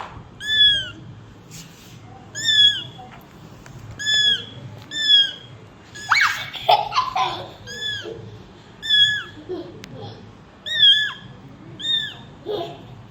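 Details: Cat mother with kittens indoors; steady series of high, whining meows, each curving downward, roughly every one to two seconds, with a short burst of other voices and handling noise near the middle.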